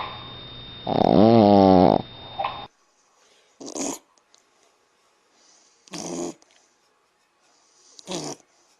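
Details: Sleeping dog indoors gives one loud, buzzy, wavering snore, followed by silence broken by three short, hissy sniffs or rustles.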